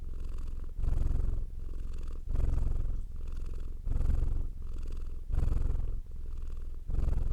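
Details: Domestic cat purring steadily, a deep, low rumble that swells louder and fades softer in regular alternating phases, roughly every three-quarters of a second, with no other sounds present.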